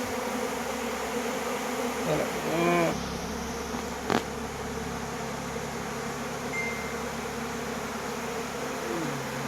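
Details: Bees swarming and battling for water, continuous low droning hum with a brief human voice near the middle and a sharp click shortly after.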